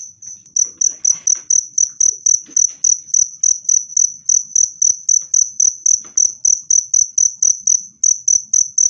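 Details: Cricket chirping, played to drive rats away or calm stressed cage birds: loud, clear high-pitched pulses repeated about four times per second, with faint knocks and brief soft voices in the background.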